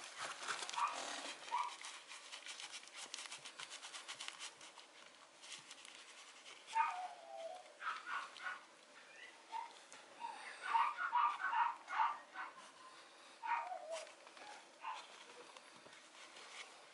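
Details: Female Mame Shiba Inu puppy, a small Japanese dog, at a breeder's kennel in Japan: soft, high whimpers and short yips, some gliding downward, come in scattered bursts over faint background rustling.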